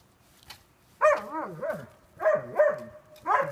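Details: Blind pet dog Sasha playing, recorded April 20, 2016: bouncy, yodelling barks with wavering pitch, delivered in quick pairs and runs, one after another.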